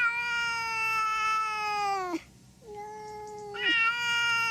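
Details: Domestic cat meowing: two long, steady, tonal meows with rich harmonics, each ending in a downward slide, separated by a short quiet gap.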